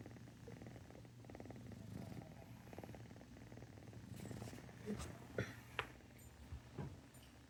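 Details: Cat purring, a quiet low rumbling with a rapid pulse in the first half, then several sharp clicks and soft sniffing sounds in the second half as the purr fades.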